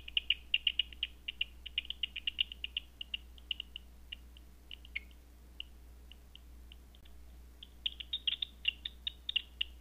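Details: Bat calls caught at night on a Batseeker 4 bat detector as quick ticking pulses. A dense burst at the start thins to scattered single clicks mid-way, then quickens again near the end, over a constant low hum.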